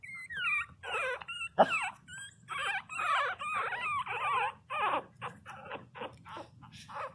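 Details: Loud cries from 22-day-old Pinscher puppies: a series of high, bending whines and squeals, some sliding downward, in short bursts roughly every half second with a sharp knock near the start.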